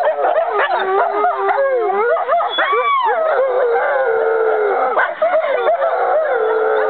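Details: Five American wolfdog siblings and half-siblings howling together on 5.11.2011; several overlapping voices, long sustained tones alongside wavering, sliding and yipping notes forming a loud, continuous chorus.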